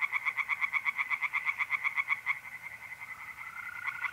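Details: Night pond chorus of tree frogs in north-east Italy in mid-April: a quick, evenly spaced burst of about four raspy pulses per second for two seconds, then a smooth, steady mole-cricket trill continues.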